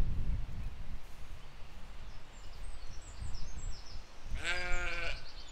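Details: Grazing sheep and lambs in a spring 2020 field: after several seconds of low rustling and faint bird twitters, one loud, strongly harmonic, quavering bleat lasting under a second rings out near the end.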